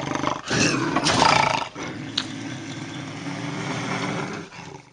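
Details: Bobcat howls and growls offered as a deterrent for raccoons: a rough, broadband snarling yowl with bursts of strained harmonics, swelling loud near the start and then trailing into a lower, steady growl.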